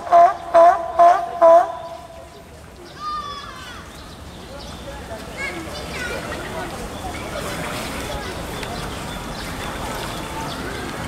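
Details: At Tennoji Zoo in Osaka, 5 July 2014, a California sea lion pup about two weeks old is nursing. Four quick, evenly spaced bleats open, followed by several seconds of children's voices and crowd noise.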